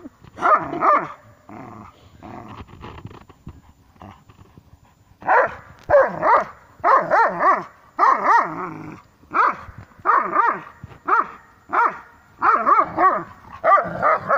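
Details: Two Dobermanns growl and grunt in rough, pulsing bursts while playing tug-of-war.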